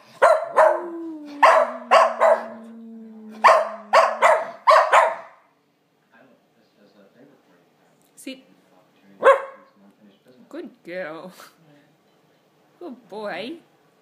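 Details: Schnauzers howling with spunk: a sustained, slightly falling howl under a series of sharp barks, then scattered barks and yelping, wavering whines after a quiet gap.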